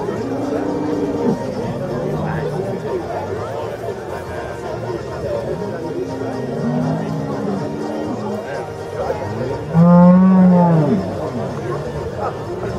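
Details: Holstein cattle entering the judging ring at a Swiss cattle show in Zürcher Unterland, 26 April 2014; faint lowing early on, then one loud, sustained moo around ten seconds, with crowd voices and a low background hum.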